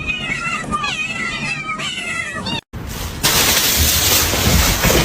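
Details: Domestic cat giving drawn-out, wavering meows with rich harmonics for about two and a half seconds, then a brief gap and a burst of loud hissing broadband noise.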